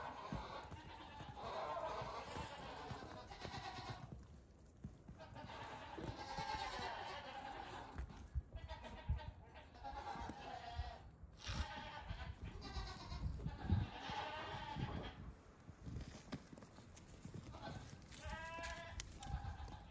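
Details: Baby goats around two weeks old, out hopping on a farm one morning, give scattered wavering bleats through the twenty seconds, with a clearer short cry near eighteen seconds, among heavy rustling, knocks and handling sounds.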